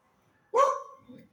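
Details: A dog gives a single sharp, loud bark that lasts about a quarter of a second and trails off into a softer, lower grumble. The background is quiet, and a person speaks shortly afterward during an outing to a park.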